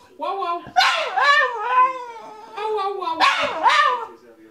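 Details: Staffordshire Bull Terrier doing its whah whah singing: sharp barked onsets that slide into wavering howled tones, two such bursts in quick succession.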